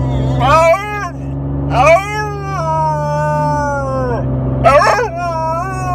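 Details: Four-month-old female Alaskan Malamute whose voice is likened to an old man's. She gives three short bursts of wavering, yodel-like howls over a person talking and a steady low engine hum.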